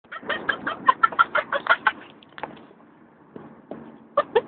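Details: A 10-week-old Vizsla puppy in a crate, during a three-hour car ride home from the breeder, chatters in quick, squeaky yelps, a monkey-like run of sounds.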